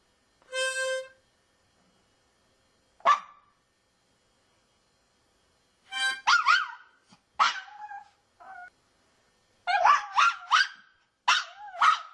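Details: Female dog that hates harmonicas howls in reaction: a short harmonica chord opens, then wavering, whining howls and yelps come in bursts, rising and falling in pitch, with gaps of silence between.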